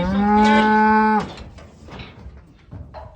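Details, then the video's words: Loud steady moo from weaned Limousin calves held in a pen, a single drawn-out harmonic bellow of just over a second that cuts off sharply, followed by faint shuffling and low background noise. "Odsadki limousine już w zagrodzie"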